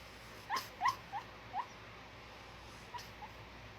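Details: A sleeping pug puppy with a slight breathing issue snores in short, squeaky nasal peeps: four quick ones in the first second and a half, then two fainter ones near the end, over a steady background hiss.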